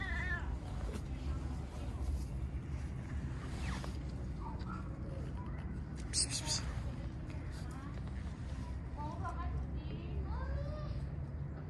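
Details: Stray street cat being petted, giving a few short, soft rising and falling meows late in the recording over steady low background rumble, with a person speaking briefly near the start.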